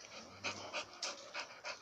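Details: American Bully dog panting: quick, breathy, hissing bursts of breath come roughly every third of a second, with a faint low hum during the first part.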